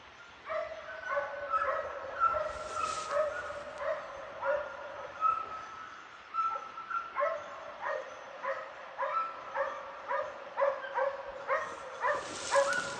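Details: Two hunting dogs barking while flushing a wild boar during a hunt: steady series of sharp, ringing barks, roughly one to two per second, over a quiet outdoor background with brief hiss bursts.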